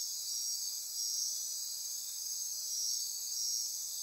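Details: Midnight rainforest insects on the Osa Peninsula, Costa Rica, near Corcovado National Park: a continuous high-pitched buzzing, trilling wall of sound with faint pulsing, steady throughout.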